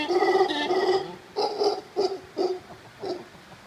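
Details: Howler monkeys in the Monteverde Cloud Forest, Costa Rica. Hoarse, harmonic grunting roars come in short bursts, about five within four seconds, each fading quickly.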